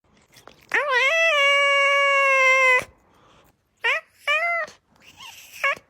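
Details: Cat making a comical drawn-out wailing meow held steady for about two seconds, then three short bent meows in quick succession, in a quiet indoor room.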